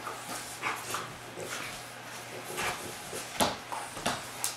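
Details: Two Giant Schnauzers, champion Haanz and young newcomer Ice, playing together for the first time indoors; quick panting breaths and soft scuffling bursts come in irregular spurts, with short sharp thumps and a steady low hum.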